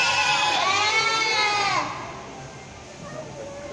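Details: Goats on a farm make a lot of noise, with a loud, quavering bleat that drops in pitch and ends abruptly; Goat.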